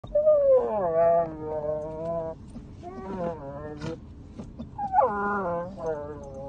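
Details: Basset Hound puppy fighting his bed before settling to sleep, growling and yowling while biting and scratching; drawn-out wavering vocal moans with strong harmonics, rising then falling, in bursts separated by short pauses, with a person briefly laughing.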